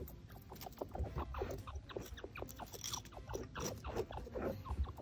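A chinchilla gives a run of quick, dry clicks and soft chattering pulses, uneven in rhythm. A steady low rumble runs underneath throughout.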